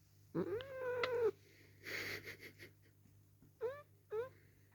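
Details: Dale the house cat protesting at being held and given kisses: a drawn-out, strained yowl, a breathy rustle, then two short clipped meows in quick succession.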